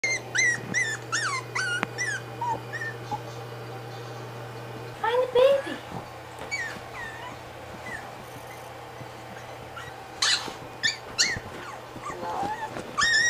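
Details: Maltese and Morkie dogs indoors, searching a blanket for a hidden puppy that turns out to be a cell phone; high, wavering whimpers and yips in short bursts, with a woman talking between them.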